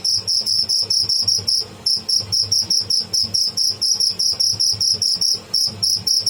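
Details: Live cricket, called tidda, calling in rapid bursts of sharp, high-pitched chirps, briefly pausing near the two-second mark before the steady pulsing resumes.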